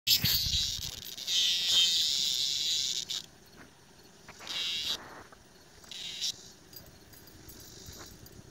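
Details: Loud cicada met by a dog named Bella on a walk, giving a harsh high buzz lasting about two seconds, then shorter buzzing bursts separated by quiet gaps, with faint rustling between.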